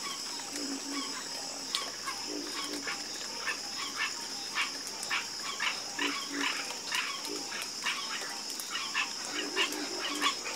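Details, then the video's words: Chorus of frogs croaking at night: short pulsed croaks from several callers overlap and repeat through the whole stretch, over a steady high insect-like hum. "Calming Sound Of Harmonious Frog Croaking"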